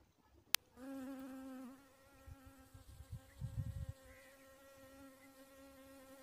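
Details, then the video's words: Dwarf honey bee buzzing, a steady droning hum with a strong low fundamental and evenly stacked overtones lasting several seconds, wavering slightly in pitch, with low thumping handling bumps underneath. "dwarf honey bee"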